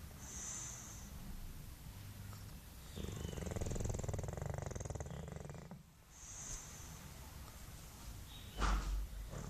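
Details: A sleeping English Bulldog snores while suckling its tongue: a low, buzzy, rattling snore swells for about three seconds mid-clip, framed by softer breathing and ending with a sharp knock.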